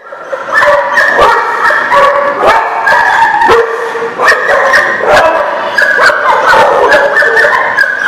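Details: Dogs barking at a place called the Barking Lot, recorded 10/4/19; dense, overlapping sharp barks and yips from several dogs, nearly continuous throughout with no quiet gaps.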